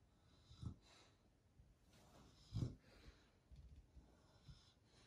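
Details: Sleeping pet beagle in Australia, snoring loudly: low snorting breaths, two stronger snores about two seconds apart with softer wheezy breaths between, in a quiet room.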